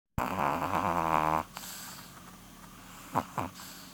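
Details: Porun, a sleeping female Chihuahua nearly 12 years old, snores with one long buzzy, rattling breath lasting over a second, then two soft short breaths follow; a steady low hum runs underneath.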